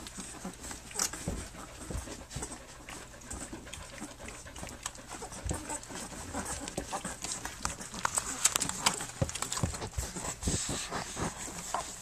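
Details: Three-week-old puppies of the dog Flute nursing and playing on their three-week birthday; a steady stream of soft, rapid, breathy panting and wet suckling clicks, irregular but nearly continuous, a few louder snaps near the end.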